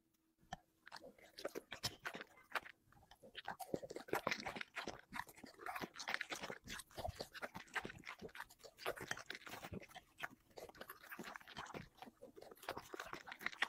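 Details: Dog eating five plates of chicken and vegetables in a mukbang-style feast: dense, rapid crunching and wet chewing clicks, quiet at first, then steady and busy through the rest, with no other clear sounds.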